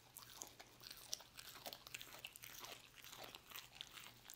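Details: Dog working through roast beef, with bright crunchy bites and moist smacking repeated several times a second and a constant low hum in the room.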